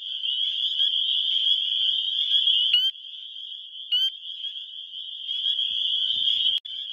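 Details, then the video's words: Spring peeper males in a Wisconsin spring chorus, calling to attract females, captured by phone; steady high-pitched ringing chorus with a few loud, distinct rising peeps and a brief low rustle near the end. "Spring Peepers (Pseudacris crucifer) calling for lovers"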